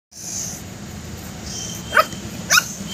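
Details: Pug puppy facing a little mongoose gives two short, sharp, high yipping barks about half a second apart near the end, over a steady background hiss.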